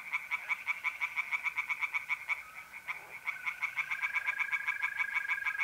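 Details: Night pond chorus of singing tree frogs in north-east Italy, April: quick repeated raspy croaks that pause briefly near the middle, then resume, over a sustained mole cricket trill.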